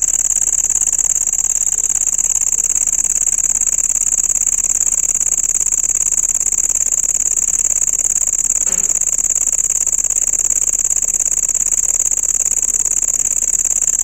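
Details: Loud cricket trill, a continuous thin metallic ringing at very high pitch made of fast regular pulses, steady for the whole stretch apart from one brief faint tick partway through.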